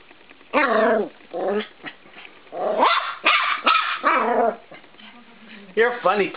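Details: Cisco, a 13-week-old Norfolk Terrier puppy, attacks a spring door stop in a bedroom, letting out sharp, high yapping barks and whiny growls in quick clusters, with a person's voice and the door stop's twang nearby.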